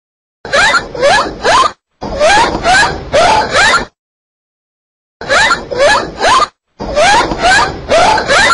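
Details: Dolphin chatter in four loud bursts, each packed with short rising squeaky whistles over a rough buzzing crackle, with abrupt silent gaps between bursts.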